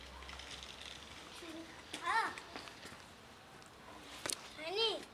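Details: Black cat swinging its paws, giving two short meows that rise and then fall in pitch, about three seconds apart, with faint background chatter and a sharp click between them.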